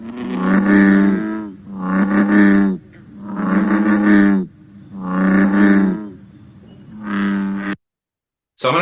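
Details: American bullfrog (Lithobates catesbeianus), the largest frog with the deepest call, calling in late spring to summer: deep, resonant 'broom' calls, each drawn out over a second or so and repeated.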